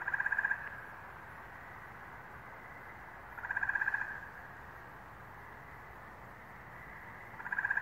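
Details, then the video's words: New England frogs on May 11, 2023: brief rattling trills of about half a second return every three to four seconds, separated by quiet stretches of faint chorus. "Frog Songs - New England, May, 2023"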